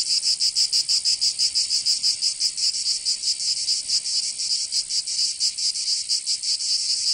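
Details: Summer cicada chorus from Provence in the south of France, a loud shrill buzzing carried on in uneven throbbing pulses, strong and unbroken from start to finish.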